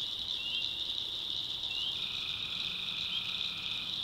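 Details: Tree frogs calling at night in the backwoods of North Carolina: a dense, continuous high trilling chorus holds steady throughout, with a lower pulsing layer joining partway through.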